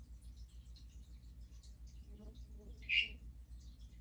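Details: Harlequin or Hourglass tree frog (Dendropsophus ebraccatus) giving a non-breeding call after a mating event. One loud, short, high-pitched chirp near the end, preceded by faint murmuring and a persistent low hum.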